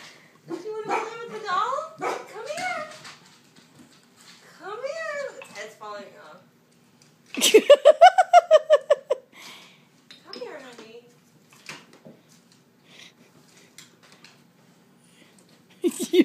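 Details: Vizsla dog frightened by a doll, giving whining and yelping calls and a burst of rapid, sharp barks near eight seconds, while people talk throughout.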